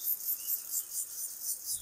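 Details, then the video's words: High, rasping cricket trill in a foggy village at daybreak, throbbing in even pulses about five times a second, with no other clear sounds. "ভোরের গ্রামে ঝিঁঝিঁ পোকার ডাক"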